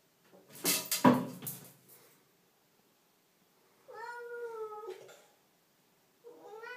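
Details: Pavlas, a domestic cat in a bathroom, gives two drawn-out, harmonic meows that hold steady then dip slightly, after a burst of rustling and clattering noise at the start.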